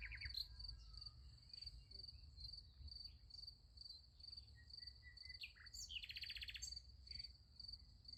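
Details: Crickets chirping at night next to a sunflower field, about two pulses a second in a high steady band, with bird whistles and a brief rattling call partway through, low hum beneath.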